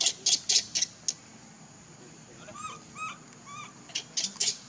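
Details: Baby monkey Leo crying and begging its mother for milk after being rejected; short arching whimpers with a few harmonics, a cluster in the middle of the clip, set between sharp broadband slaps or clicks at the start and end.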